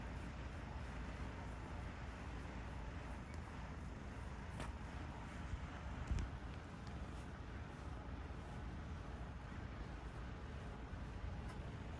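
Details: Steady outdoor traffic rumble and wind buffeting the microphone, with faint speech and a few passing clicks, no animal calls.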